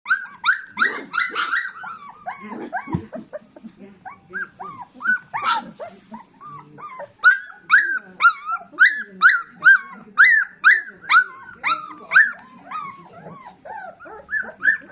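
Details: Golden retriever puppies indoors, raising a steady run of short, arched, whining howls that rise and fall, about two per second, overlapping at the start with a few faint voices in the background.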